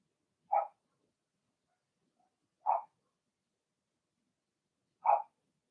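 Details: Blenheim Cavalier King Charles Spaniel puppies from Remy's first litter of six, in an indoor puppy pen: three short, high-pitched yappy barks spaced about two seconds apart, with silence between.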